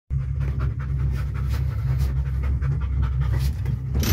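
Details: Deutsch Drahthaar dog riding in a cable car, panting fast and steadily throughout, a rapid rhythmic breathy huffing over a constant low mechanical hum from the car.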